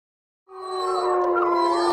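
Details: A wild gray wolf in the Northern Rockies, where wolves returned after 13 years on the endangered list, howls after a brief silence, a steady, drawn-out, mid-pitched tone.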